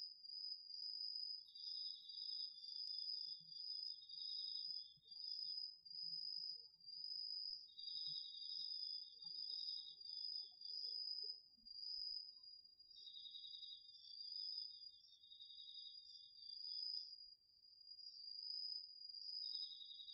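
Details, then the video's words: Autumn insects including crickets calling at night in a home garden vegetable patch, recorded on a DR-40X: a steady high trill overlaid by bursts of lower pulsed chirping lasting a few seconds, repeating with pauses, faint low rumbles beneath. "秋の虫の声 ASMRでおやすみなさい 〜虫の音を枕元で聞いてね〜 こおろぎ他"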